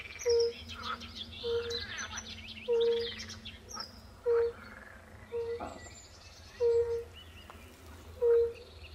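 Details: Chorus of European fire-bellied toads at a forest pond, pool frogs nearby: mellow, low hoots spaced about a second apart, each note brief and pure, while songbirds chirp and trill in the background.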